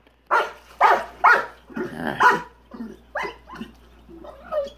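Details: Rottweiler upset by a big rock in his swimming pool: a run of deep, forceful barks, some rough and growly, gradually weakening, with a man's voice briefly heard near the end.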